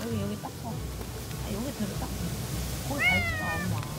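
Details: In a Jeju home, a woman talks softly to a house cat while wiping its face. Near the end the cat answers with one clear, drawn-out meow that dips in pitch.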